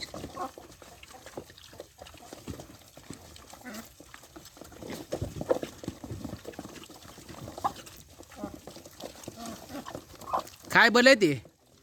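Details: Wild boars, said to like eating rice bran, grunt softly amid low human chatter, then one gives a loud, harsh squeal that rises and falls.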